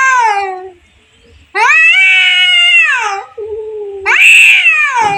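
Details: Cat fight between two cats, heard as drawn-out harmonic yowls that swell and sag, separated by a low moaning growl and brief quiet gaps.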